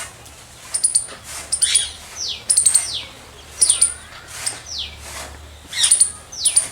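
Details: Loud squirrel chirps in quick high-pitched clusters, each group followed by a quick downward-sliding squeak, recurring about every second.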